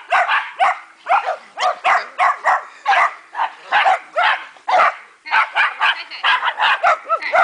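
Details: Dogs romping in a backyard dog park, 29 March 2008, bark loudly in rapid succession, sharp yappy barks several per second from more than one animal, with a brief lull near the middle before the barking resumes.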